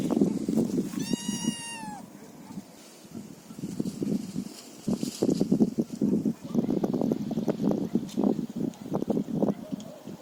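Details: Feral cat giving one clear, high meow lasting about a second that slides slightly downward, followed by persistent crackling, crunching and rustling noises close by.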